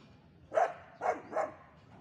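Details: Long Coat German Shepherd in aggressive mode giving three short, sharp barks in quick succession within about a second, the first the loudest, over a quiet background.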